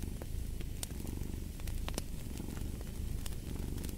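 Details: Close, throaty cat purr with a vibrating low rumble that surges and fades with breathing, while fireplace logs crackle and pop sharply in the background.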